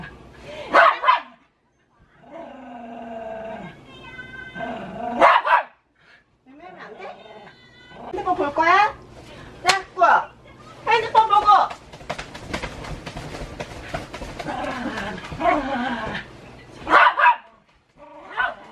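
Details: Pet dog barking in a room while its owner pretends to hit a baby in front of it; sharp, loud barks burst out at irregular intervals between stretches of women's voices and talking.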